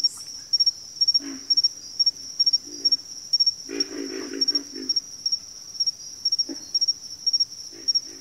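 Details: Several frogs grunting in a backwater chorus, scattered single croaks then a dense run of overlapping low, coarse calls around four seconds, with a steady, piercing insect trill pulsing throughout.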